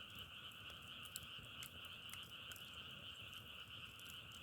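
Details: Massed frogs keep up an unbroken, rapidly pulsing trill in two stacked tones. Brief crisp crackles pop through at intervals over a faint low rumble.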